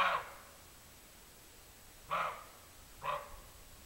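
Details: Roe deer giving three harsh, hoarse barks, each a short rough burst. The first comes at the start, then two more follow about a second apart after a pause, each trailing a faint echo.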